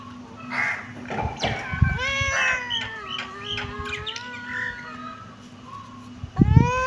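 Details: Kitten giving several clear, high meows that bend downward and overlap one another, with soft rustling, and a sudden loud thump and a rising meow at the end.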